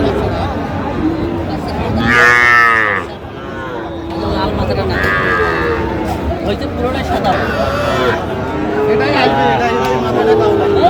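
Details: Sahiwal bull calf at Aftabganj cattle market, Bangladesh, 16 August 2025: a loud harmonic bellow around two seconds, falling and tailing off, with further softer moos amid constant crowd chatter and bargaining voices.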